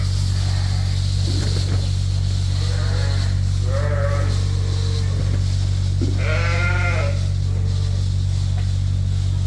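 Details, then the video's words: Indoor farm sheep on a winter morning bleating for breakfast at feeding time: several separate quavering bleats, one loud and harsh near the end, with a constant low droning hum of machinery throughout. "The Noise Of The Sheep At Feeding Time"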